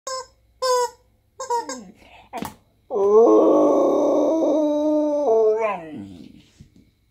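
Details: A female Siberian Husky, "singing" along, gives a long, wavering howl after a few short vocal bursts.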